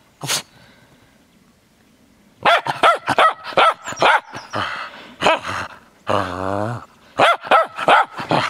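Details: Cairn Terrier romping in snow: one lone yap, a silent pause, then a rapid string of high barks, a short low rumbling growl, and more quick barking.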